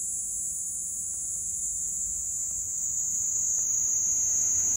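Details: Platypleura kaempferi singing on the Kanto plains of Japan on 10 July 2021, a sustained high-pitched rasping buzz, even and unbroken, cutting off abruptly at the very end.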